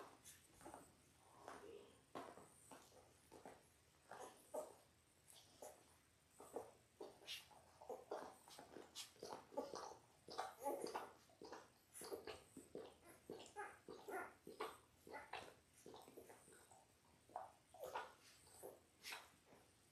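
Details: Ten-day-old Labrador Retriever puppies, a litter of six, whimpering and squeaking almost nonstop in a small indoor room, many short overlapping cries with faint rustling and soft footsteps.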